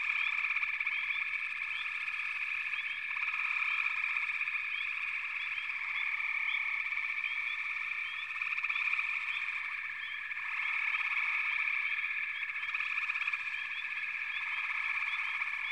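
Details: Long frog chorus, a continuous dense trill that swells and dips in waves, studded with many short rising chirps from individual frogs; no other noises heard.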